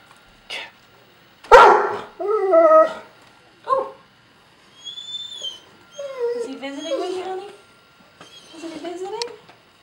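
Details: Dog barking at a squirrel: a loud sharp bark followed by several strained, whining yelps and whimpering barks in uneven bursts about once a second, with a faint human voice in between.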